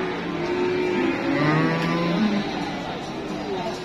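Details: Cattle offered for Eid sacrifice at the Pasar Wage livestock market in Indonesia: long, low, level moos, several overlapping, through the first two and a half seconds, over steady crowd chatter and market noise.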